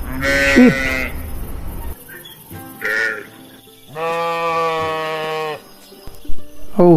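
Sheep giving four wavering, nasal bleats, one long drawn-out and the others short, with faint background sounds between them.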